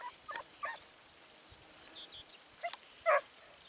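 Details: Segugio Italiano hound at Sofiko, Evros, 29 May 2019, giving short, hoarse barks spaced irregularly over a few seconds, with high chirping birdsong in the background.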